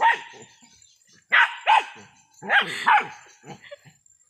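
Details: Dogs at play with goats on a small backyard farm bark in short sharp bursts, about five loud barks in quick pairs with brief pauses, followed by softer yips, little background noise.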